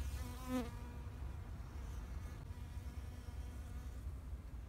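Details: A bee flies close past the recorder in a spring flower garden in Japan, 2021: a loud, brief buzz that rises and then drops as it passes, followed by softer distant humming over a low background rumble.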